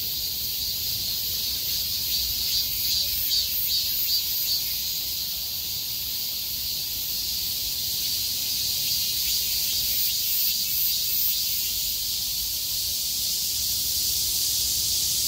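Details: Chorus of cicadas that survived a downpour, calling with full force once the rain ended and skies cleared, 6 August 2020: a steady shrill buzzing wall of sound with a gently pulsing, throbbing texture throughout.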